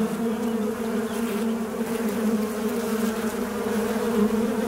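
A fly buzzes in a steady, low, droning hum that hardly wavers in pitch.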